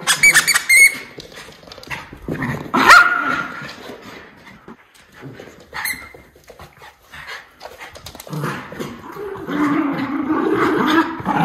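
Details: Indoor chase between Miniature Schnauzer brothers Lucky and Levi, running and jumping while their owner takes out the trash: a few sharp, high barks early on, then scrabbling paws and a burst of rough, throaty growling toward the end.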